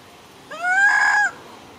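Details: Baby monkey crying loudly after a young monkey grabs it from its mother: a single drawn-out, tonal wail that rises briefly, holds steady for under a second, then drops off sharply.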